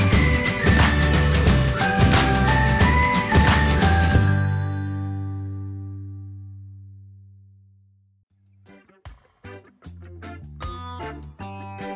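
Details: Bright chiming music fades to silence, then plucked melodic notes return; no animal sound.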